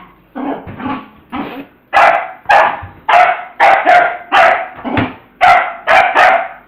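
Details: Pet dog named Peanut barking while playing with a ball, acting silly; a rapid run of about twelve sharp barks, uneven spacing, some in quick pairs, each loud onset trailing off.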